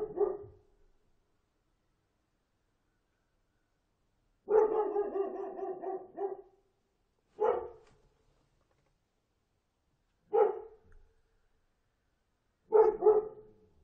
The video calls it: 동물 소리, Animal Sound, Dog Barking, 1분 37초